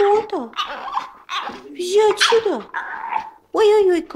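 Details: A 3-month-old French bulldog puppy "talking": a string of whiny, yowling, rising and falling vocal sounds in short bursts, with a sharper cry near the end.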